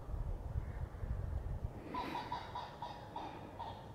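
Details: Roe deer doe in late autumn, herding her fawns like a sheepdog to get them over a stock fence; short tonal notes with bright overtones start halfway through and repeat about every quarter second over low wind rumble.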